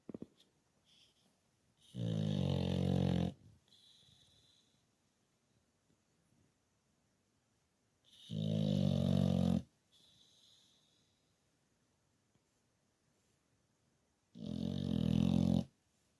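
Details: English Bulldog asleep indoors in a man cave, snoring: three long, deep rattling snores, each lasting over a second and coming about every six seconds, with near silence between them.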